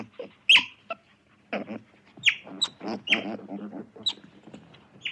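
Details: Otter making loud high chirps alongside throaty, rattling chatter and growl-like pulses, the sharp squeaks coming in uneven bursts over the rough lower vocal sounds.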